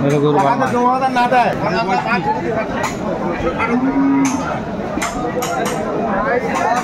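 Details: Improved-breed dairy cows and calves at Aftabganj cattle market, Bangladesh, 26 May 2024: a deep, short moo opens, and a brief higher lowing follows a few seconds later. Haggling voices and market chatter surround them.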